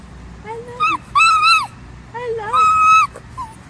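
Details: Dogs making funny noises: a run of high, tonal whines and yelps, some wavering, some held and flat, in four main bursts over nearly four seconds.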